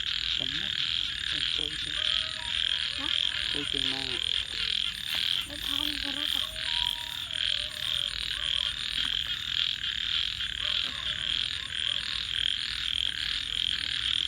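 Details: Frogs calling at night: a dense, continuous high chorus of rapid pulsed croaks forming a steady buzzing wall, with faint low wavering tones, possibly voices, drifting beneath.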